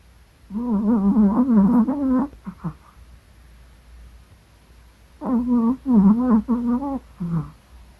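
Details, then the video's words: Sleeping Yorkshire Terrier snoring indoors: two bursts of voiced, wavering, moaning snore sounds, each about two seconds long with several quick pulses, separated by a few seconds of quiet breathing. "코골이 요크셔테리어"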